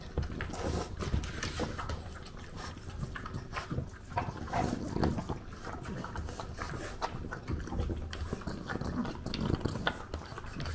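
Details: A French bulldog in Japan chews and crunches its breakfast in close, wet, irregular bites.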